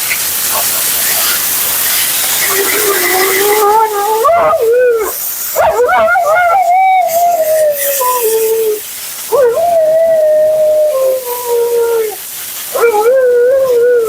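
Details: A dramatic Siberian Husky, Mila, keeps up her nonstop commentary during grooming with long, sliding, moaning cries that rise and fall. About five drawn-out utterances come with brief gaps, against a loud background hiss.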